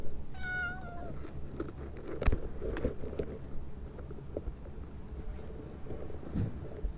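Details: Hidden in a shrub, a stray cat lets out a single drawn-out meow that dips slightly in pitch, followed by scattered clicks and rustles over a constant low background hum.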